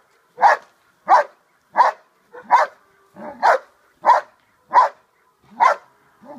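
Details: Dog in Schutzhund protection training, barking during the hold and bark exercise: about nine loud, evenly spaced barks, roughly one every 0.6 to 0.8 seconds, with no other sounds.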